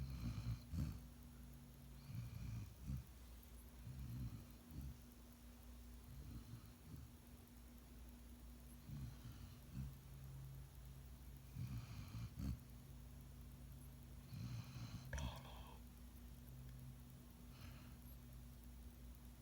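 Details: Golden Retriever puppy snoring while asleep: low rumbling snores repeating every couple of seconds, with soft breathy hisses between them.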